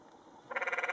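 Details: Canyon tree frogs on the Secret Canyon Trail, Sedona, Arizona, in 2011 give rapid, buzzy, nasal, bleating trills of evenly spaced pulses; a calling frog vibrates enough to ripple the water, and one climbs on a wall nearby.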